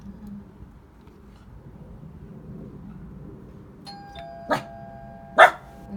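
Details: A small, reactive female dog in her first doorbell-training session at home gives two sharp, loud barks right after a two-tone doorbell chime rings.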